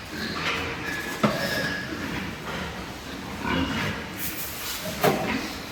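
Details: Super lean pigs over three months old, born and kept on a pig farm, give short harsh grunts and squeals in a noisy barn, with sharp metallic knocks near the start and end.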